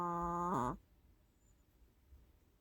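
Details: Long-haired Chihuahua Mina snoring while she sleeps, a habitual loud snorer. A steady, low, nasal, buzzing tone holds for about half a second, bends downward, then stops abruptly, leaving near silence.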